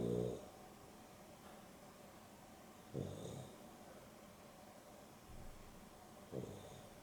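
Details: Dexter and Rio, a Boston Terrier and a Beagle cross, take an afternoon nap; low, rumbling snores arrive about every three seconds, each a short grating breath, with quiet household background.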